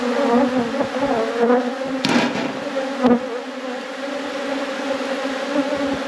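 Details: Bees from a beekeeper's hive hum loudly and steadily while the brood frames are checked: a dense, low, even drone with a bright overtone, and sharp knocks from the hive being worked around two and three seconds in.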